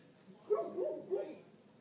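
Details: Great Pyrenees dog barking: a sharp onset followed by two rough, mid-pitched barks with a wavering, slightly whining tone, spaced about half a second apart, against a quiet background.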